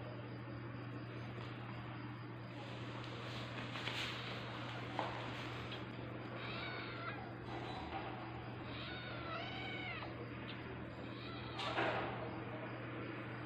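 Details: Tabby cat in labour giving birth, meowing in a run of arched, harmonic-rich calls in the middle stretch, with a constant low hum underneath.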